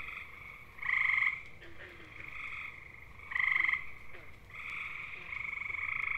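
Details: Chorus of gray tree frogs (Hyla versicolor) calling for mates in eastern North American woodland: a loud musical trill near one second and another past three seconds, over steady fainter trilling from more distant males.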